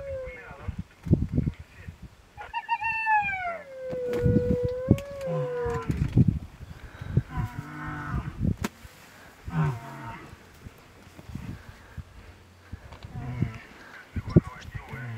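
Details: Terrified sub-adult spotted hyena trapped for hours inside a naturally dead elephant's carcass, harassed by lions, Mara Triangle, Maasai Mara, 10 March 2022; a long, falling tonal wail, then wavering whooping cries amid low grunts and rough background noise.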